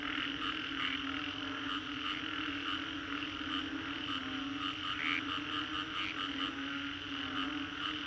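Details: Frogs in Green Corridor, Singapore, after a storm, a constant overlapping chorus of croaks with a few louder individual calls popping out near the middle, over a persistent low drone.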